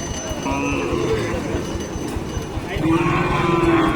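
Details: Cattle at a Dinajpur cattle market, where buyers shop for Qurbani cows: two drawn-out, low moos, one early and one longer near the end, over steady market hubbub and murmured voices.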